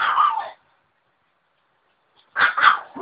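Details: Chihuahuas at home: one short, sharp bark, a pause of nearly two seconds, then a quick double bark with a brief yip. The background is otherwise quiet.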